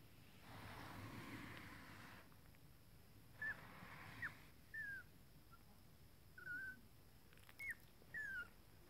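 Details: Four-week-old Toy Fox Terrier puppies feeding in the Netherlands give thin, high, whistled whimpers, short falling squeaks, about seven scattered over nine seconds against a quiet background hum.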